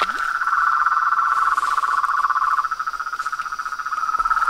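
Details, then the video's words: A pond chorus of frogs, toads and tree frogs at nightfall in front of a house: a loud, unbroken pulsing trill dominates with slight wavering in intensity. "SONS DA NATUREZA - A SINFONIA DOS SAPOS, RÃS E PERERECAS"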